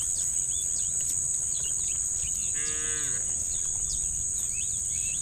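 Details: Tame cows in a herd walking in an orderly line toward muddy rice fields in the morning sun, described as angry; one short, nasal, harmonic moo midway, over a steady high insect drone and scattered chirping birds.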